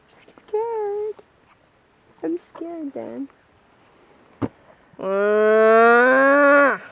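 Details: Herded cattle: a few short voiced sounds and a sharp click come first, then one loud, sustained moo about two seconds long that climbs slightly before dropping at the end.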